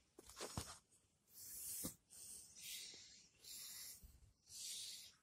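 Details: Dying Shiba Inu, one day before its death, drawing breathy wheezing breaths roughly once a second. Each breath is a hoarse, airy hiss, with a few soft clicks between them.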